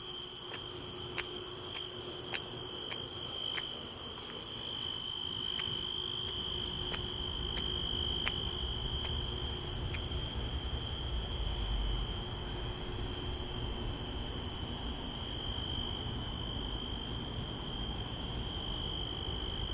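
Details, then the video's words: Night crickets heard on a walk to the store, a continuous high-pitched trill layered with a pulsing, higher chirp, while regular footsteps tick through and a low background hum swells. "Relaxing White Noise and Crickets"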